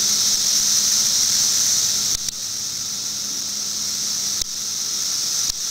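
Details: Periodical cicadas, filmed in 2008, make a steady, high, hissing drone that carries on without pause, with a few brief dips.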